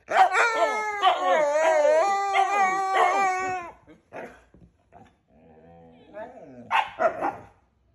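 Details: Two husky brothers noisily 'arguing': a run of loud, quavering howl-yowls with rising and falling pitch fills the first three and a half seconds, followed by faint scuffling and a last short yowl.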